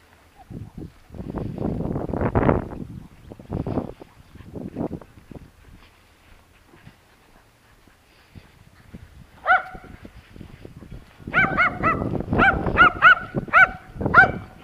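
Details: Timmy, a terrier, starts barking after several seconds of people talking: one short burst of sharp, ringing barks, a pause, then a fast run of about eight barks in a row.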